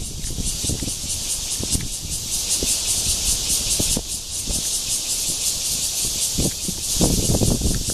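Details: At Guangming Park in Zhongli on 28 June 2013, a red-veined cicada (Cryptotympana holsti) gives its courtship call. An even, high, hissing drone holds steady, with scattered low thuds and a background rumble.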